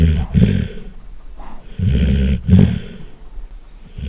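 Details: Golden retriever snoring loudly. Three rough, rumbling breaths pulse through the short recording, each a buzzy low drone with a sharper snort near its end.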